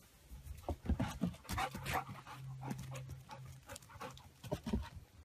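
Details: Alaskan Malamute that wants to go out with its friend, giving a low, drawn-out moaning howl between short grunting bursts and huffs. A single sustained low note runs through the middle, with breathy panting around it.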